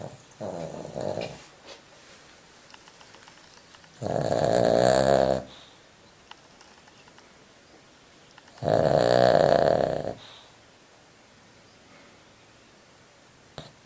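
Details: A 25-year-old Pekingese snores in long, rasping, buzzy breaths, each lasting over a second with quiet gaps between.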